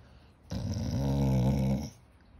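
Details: English Springer Spaniel named Birdie snorting, a single sustained low rumbling snort with a harmonic-rich tone lasting about one and a half seconds, recorded indoors.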